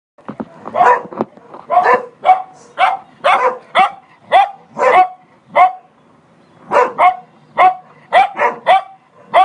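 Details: A Cocker Spaniel barks in quick, sharp bursts, pausing briefly before another run of yaps, after seeing a man on a terrace.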